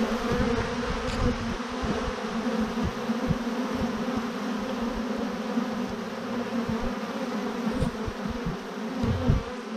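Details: Thousands of honey bees hanging in a massive clump on a branch, swarming: a dense, steady low hum with a droning band throughout, gusty low rumble underneath, continuous for ten seconds.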